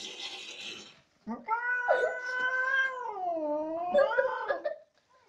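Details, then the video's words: Angry house cat caterwauling after a second of hissy noise: a sustained moaning wail that slowly dips lower in pitch and then climbs again, lasting about three and a half seconds. "Angry CATS"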